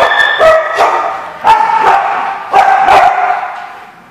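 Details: A dog barking in a lot, sharp loud barks repeated roughly every half second to second, with a steady tonal hum holding between barks.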